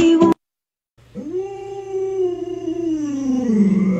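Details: Luoluo, a pet Alaskan Malamute, howls after its owner scares it with a mask: one long, smooth, tonal howl that swells in and holds steady before sliding lower near the end, with a low steady hum underneath.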